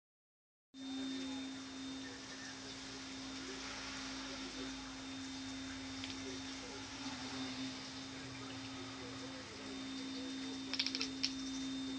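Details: Steady electrical hum and hiss, with a few short sharp clicks near the end and no animal voice.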